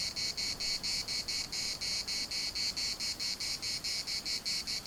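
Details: Cicadas in a municipal park in Larnaca produce a shrill, high buzzing song chopped into quick rhythmic bursts, slightly uneven in spacing, with nothing else prominent.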